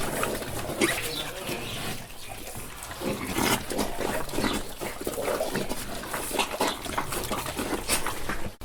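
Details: Several pigs on a farm feed noisily, with wet crunching, smacking and occasional low grunts throughout.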